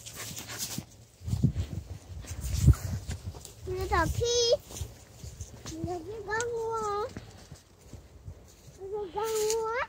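A Pembroke Welsh Corgi gives drawn-out, rising whining cries in three separate bursts.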